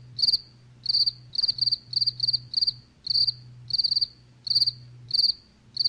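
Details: Cricket chirping in short bursts near 4.5k, each chirp made of three to five rapid pulses, repeated irregularly about every half second, with a low steady hum underneath.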